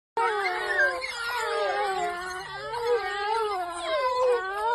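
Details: African wild dogs, also called painted dogs, a pack with fast-growing young, active on a game drive at Ruaha in Tanzania's southern circuit. Several animals give overlapping high, wavering, chirping and twittering calls, continuous throughout.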